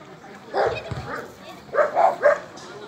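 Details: Border collie named Alde at a Rally-Obedience G1 class competition trial: a couple of short, mid-pitched barks early on, then three quick, slightly tonal barks in a rapid run near the end, with voices murmuring underneath.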